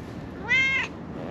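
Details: Friendly calico stray cat living on a mountaintop in Japan, following a person, gives a single clear meow held at a steady, level pitch for about a third of a second, over faint outdoor background hiss.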